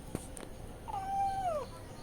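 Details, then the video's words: Cats crying for milk, one long level meow that drops at the end, with faint clicks and background hiss. "Cats Scream for Their Favorite Treat!"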